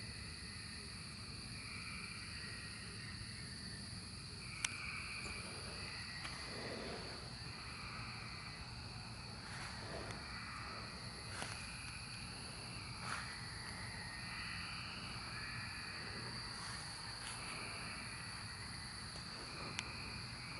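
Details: Cicadas during the 2024 emergence, a steady droning chorus holding several even, unbroken tones from high to very high pitch throughout, with a few sharp clicks and brief rustles scattered across the recording.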